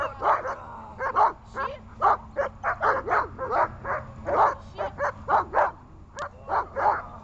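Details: Dog barking on command while being trained, loud repeated barks roughly every half second with small gaps, some barks coming in quick pairs.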